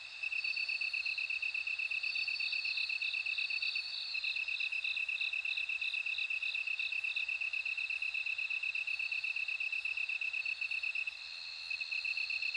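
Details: Several insects are heard together: the bell cricket's high ringing trill comes and goes, while a rapid, very regular pulsed chirping continues and a slower second pulse series appears midway. A faint low rumble sits in the background.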